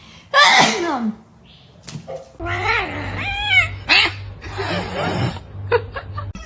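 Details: Domestic cat giving several drawn-out, arching meows with clear harmonics, the first loud and falling, later ones wavering up and down, mixed with a sneeze-like burst, short clicks and a low steady hum.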